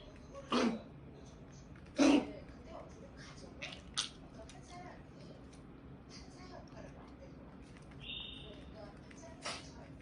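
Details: Pomeranian with tracheal collapse giving a goose-like honking cough: two loud, harsh bursts close together near the start, followed by a few fainter short clicks and snorts over a steady low hum.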